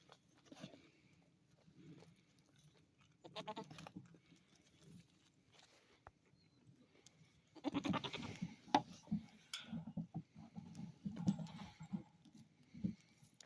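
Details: A billy goat gives loud, harsh, wavering bleats and low grunting noises in uneven bursts. He always makes these noises, unlike the other goats in the herd.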